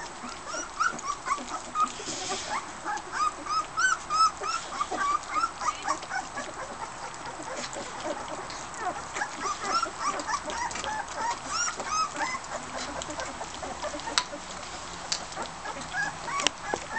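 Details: Border Collie pups eating dinner with their mother Fearne; bursts of high wavering whines and yips come and go, interspersed with clicks and scuffling of feeding pups.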